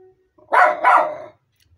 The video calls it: 🤨 Dad Says Miniature Schnauzers Have A “Distinctive” Bark 🙄